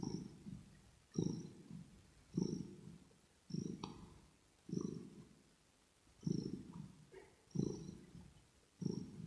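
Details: Kitten purring close to the microphone: low rumbling pulses swell and fade with each breath, about every 1.2 seconds, soft and steady, with faint clicks between.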